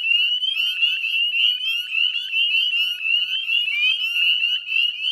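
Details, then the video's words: Northern spring peepers massed in a dusk chorus, West Chezzetcook, Nova Scotia, May 2020; a brief burst of dense, high, rising whistled peeps, overlapping continuously. "Northern Spring Peeper Chorus"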